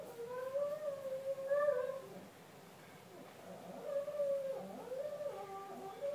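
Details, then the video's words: A pet retriever indoors, singing on its own: two drawn-out, wavering howls with a tonal, gliding voice, the first over about two seconds, then a pause and a second rising and falling howl from about four seconds on. "Singing dog"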